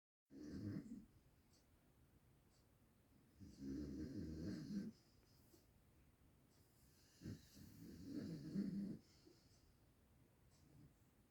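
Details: Domestic dog snoring while asleep indoors: three loud, rasping, low rumbling snores about every three to four seconds, each a second or more long, with quiet breathing between.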